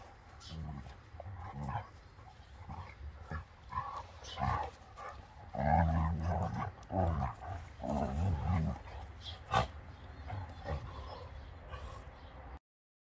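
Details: Labrador Beertje, a female over twelve years old, in close physical contact with two-year-old German Shorthaired Pointer Dakota; low rumbling growls come in bursts, strongest midway, between softer snuffles, thumps and movement noises.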